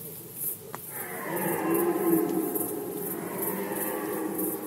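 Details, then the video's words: Red deer in rut season, Poland, 2020: a long, hoarse, harmonic roar begins after a brief click and swells steadily for over three seconds. A faint, regular high ticking pulses in the background throughout. "Rykowisko jeleni, Rut season of Red Deer"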